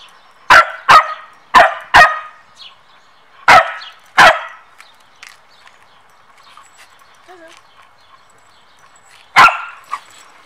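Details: Samoyeds barking during a training session as one pesters the other: a quick run of six loud, clipped barks, then quiet murmurs and one last bark near the end.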